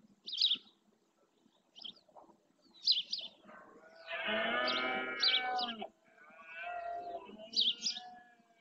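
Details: During the berrea in Doñana National Park's marshes, Spain, a red deer stag gives a loud, rough roar of about two seconds to claim territory, followed by a fainter moan, while birds chirp high above throughout.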